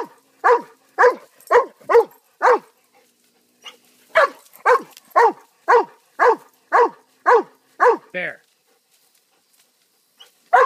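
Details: Pet dog barking in two rapid series of sharp, evenly spaced barks, about two per second, pausing briefly between runs; one longer drawn-out howl-like bark ends the second series, with a single bark after silence.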